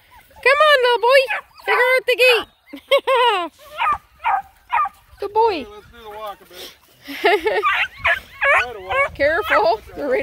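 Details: A pack of nine Black and Tan Coonhound pups, just released through a gate for a pond hike, clamour with overlapping high, bending yelps and brief howls. Bursts come in uneven clusters with short pauses and people talking nearby.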